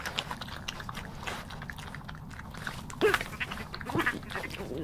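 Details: Two rural European badgers, recorded 28 February 2016, grumpily competing over peanuts: two short, harsh, grunting growls near the end, over constant crunching of food and rustling.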